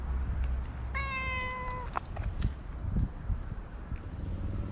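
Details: A stray cat being petted on a walking path, with other cats drawing near, gives a single drawn-out meow of nearly a second that sags slightly in pitch, followed by soft knocks and handling noises against a low outdoor hum.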